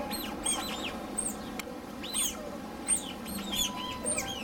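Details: Asian small-clawed otters (Aonyx cinereus) at an otter sanctuary in Kobe chirp in high, squeaky, arched notes, several voices overlapping in quick bursts over a steady low hum.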